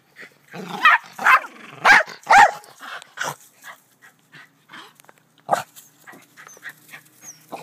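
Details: Back-yard black terrier, kept alongside two white Rat Terriers, gives a quick run of four harsh barks early on, then a single bark after a quiet stretch; low voices and small noises fill the gaps.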